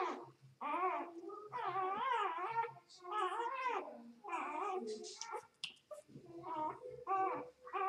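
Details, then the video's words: Newborn Vizsla x Labrador cross puppies, just two days old, whining almost without pause in a stream of wavering, squealing cries that rise and fall, with faint low thumps in the background. "2 Days puppies - 2 Jours - 2 Dias (Vizsla x Labrador)"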